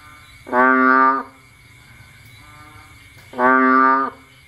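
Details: Two deep, buzzy bullfrog calls recorded at night during rain in Cambodia, with frogs out foraging. Each rich nasal note lasts about 0.7 seconds and they come roughly three seconds apart, with a constant high insect tone behind them.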